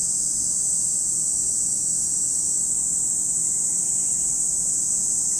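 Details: A continuous high cicada buzz at Lake Kamo in Sado City, Niigata Prefecture, Japan. The shrill wall of sound barely varies, with one faint thin whistle midway.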